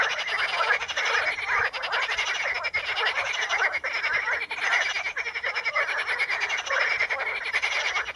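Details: Many frogs calling among Potamogeton crispus pondweed in the Ispani mires: a dense, unbroken chorus of rapid rattling croaks overlapping into a steady mid-pitched roar, with a fainter buzzy layer above and brief dips in loudness.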